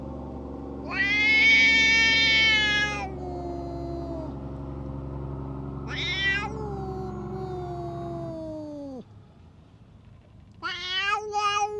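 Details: A stray tough cat lashing out at other cats: loud strained yowls overlapping a second lower, descending wail that drops away near nine seconds, then a rising, choppy cry at the end, over steady low rumbling background noise.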